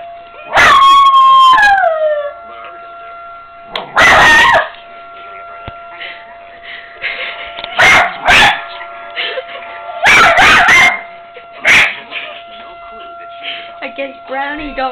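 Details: Brownie, a pet dog, howls during a test run of a tornado siren: a long wavering howl sliding downward, then loud harsh bursts recurring over the steady droning siren tone, with music and voices.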